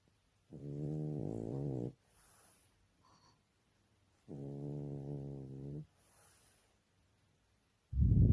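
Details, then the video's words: Snoring French Bulldog: nine-month-old female Jjanga, 30 August 2019, produces two steady, deep, reedy snores of roughly one and a half seconds, evenly spaced with soft hiss between, and a third beginning at the end. "프렌치불독 코골이 꼭 들어보세요.."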